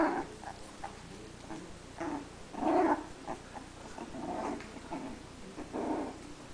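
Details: Teckel puppies, three weeks old, at their first play, trading brief growling grumbles and whimpers in repeated bursts, one stronger squeal-like growl near the middle, over quiet room noise.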